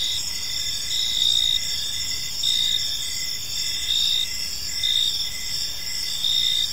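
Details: Crickets chirp through an evening in a calm park, overlapping shrill trills with bright pulses recurring roughly every second and a half, set against quiet low background noise.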